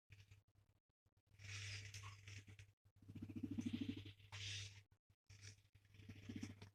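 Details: A male guinea pig gives a low, fluttering purr-like rumble while being stroked and petted, a sign of contentment.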